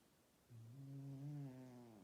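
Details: Meggie, an old male cat, snoring loudly in his sleep: after a quiet start, one steady humming low snore rises slightly, then holds and fades, lasting about a second and a half.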